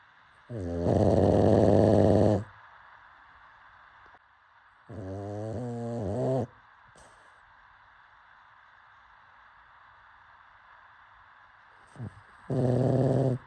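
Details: Pug asleep and snoring, three coarse, buzzy snores about one to two seconds long, separated by long silent stretches, the last coming after a brief catch of breath.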